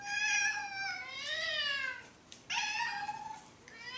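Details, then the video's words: Domestic cats fighting: loud drawn-out yowls with wavering, rising and falling pitch, one long wail followed by a harsher sliding cry, rich in overtones, indoors. "Cat Fight"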